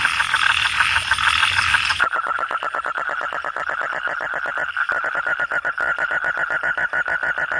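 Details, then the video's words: Kodok or katak bangkong calling: after a brief dense chorus, one frog's rapid pulsed croaks run in a steady train of many short beats, dipping once briefly before the quick rattling rhythm resumes to the end. "suara kodok/suara katak/suara bangkong"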